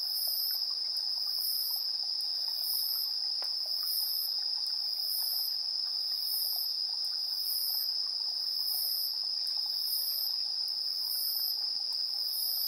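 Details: Insects calling at 7:04 PM, 3 September 2022, TASCAM Portacapture X8 recording; one insistent high continuous trill, with regular very high pulsed bursts layered above it, repeating steadily through the stretch.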